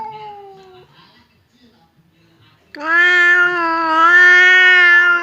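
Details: Cat standoff between fierce Temon and quiet Lelo, kept apart by a partition as they seem about to fight: a short falling meow, a pause of faint background noise, then a loud, sustained, wavering yowl.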